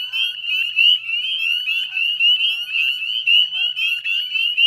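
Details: Many northern spring peepers calling together at dusk, 18 May 2020, wetlands of West Chezzetcook, Nova Scotia: high, short rising whistles stacked into a steady shrill chorus, intensity rising and falling.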